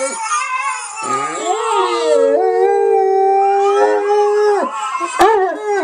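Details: A big pet dog singing, loud continuous howling that rises, dips and swoops in pitch with bright harmonics, breaking briefly near the end before resuming.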